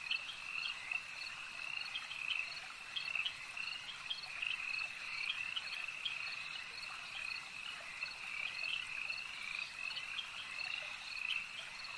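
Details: Continuous frog chorus at a lake, a shimmering wall of high, rapid croaks from numerous callers, with scattered short chirps and slight rises and falls in loudness throughout.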